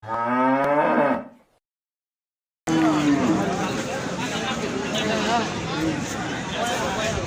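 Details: Gayal, a rare hill cattle, at Paragram cattle market in Bangladesh: one deep, rich harmonic moo lasting about a second, then a gap and loud crowd chatter with market noise.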